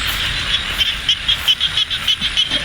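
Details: Frogs during a drizzly night of frog hunting at Ban Na Suang, Det Udom, Ubon Ratchathani, Thailand: a run of short, even, high-pitched pulsed calls about five per second, over rainy background hiss.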